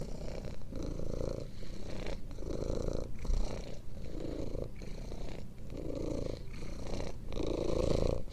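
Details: Relaxing cat purr for falling asleep: deep, continuous rumble pulsing in regular breath-length waves, about seven cycles, each separated by a short pause.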